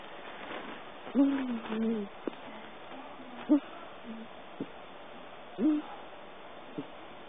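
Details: Pet cat asleep on a lap, dreaming, giving a soft snore: low, voiced, squeaky descending tones about every two seconds, some breaths longer and wavering, in a quiet indoor room.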